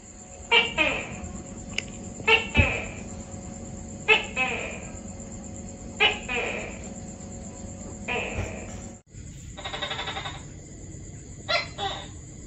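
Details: Tokay gecko (Gekko gecko), a tree-dwelling gecko of Asia and Pacific islands, active at dawn and dusk: loud harsh croaking calls repeated about every two seconds, fading gradually. A buzzy burst and two short notes follow over a faint steady high tone.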